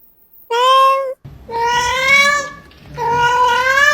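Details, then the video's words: Domestic cat giving three drawn-out harmonic meows, each steady and nasal, spaced about a second apart, with a soft hum in the gaps. "Various strange cat sounds"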